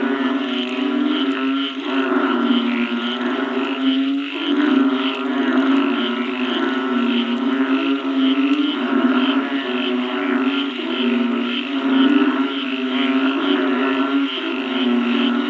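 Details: A dense chorus of frogs after rain forms a steady, droning hum with rapid pulsing croaks layered throughout.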